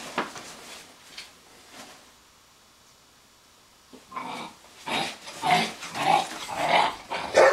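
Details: Weimaraner puppy confronting an older Weimaraner to win the better bed: a rough, noisy growling start, near silence, then rising harsh growl-barks building in loudness toward the end.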